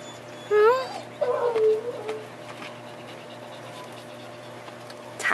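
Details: A Siberian Husky puppy about four and a half weeks old, being sat on by its brother, squeals with a rising, wavering whine followed by a longer, lower whimper, over a constant low hum.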